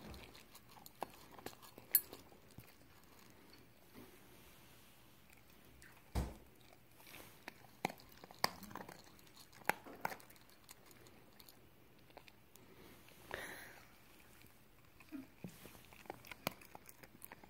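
A Cocker Spaniel eating, with irregular crunches, clicks and wet chewing sounds.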